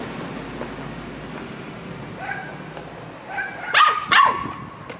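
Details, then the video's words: Samoyed puppy chatting with a Labrador: after steady background hiss, soft moaning tones rise in pitch, ending in two short, sharp, wavering whiny yelps near the end. "Filhote de Samoieda conversando com labrador/ Samoyed puppy chatting with labrador"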